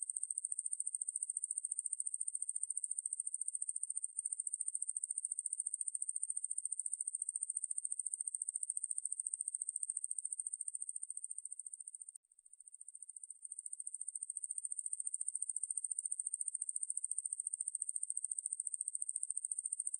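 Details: Ruspolia lineosa, recorded in 2020 for the National Institute of Biological Resources, sings a sustained high, hissing buzz of rapid pulses. The buzz fades briefly near the middle, then resumes steadily. Background is silent.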